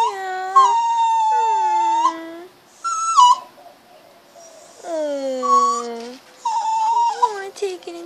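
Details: Pet puppy whining to be let inside after being teased at home: a series of long, tonal, drawn-out whines, some sliding downward and then holding steady, others brief and higher, separated by short pauses in a quiet room.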